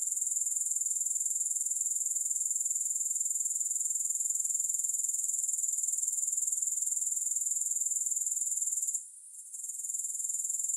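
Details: Grasshoppers give a thin, piercing, evenly pulsed buzz that holds steady for about nine seconds, fades briefly, then builds back to its earlier level.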